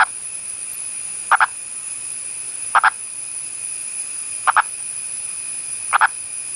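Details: Mating call of a frog: brief doubled croaks repeated roughly every one and a half seconds over a constant high-pitched insect-like hum.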